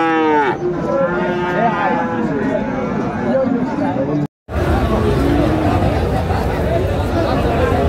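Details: Friesian and crossbred bull calves at Raniganj market, Dinajpur, 13 November 2024; a long harmonic moo opens, followed by lower lowing beneath loud crowd talk and market babble, with a brief dropout midway.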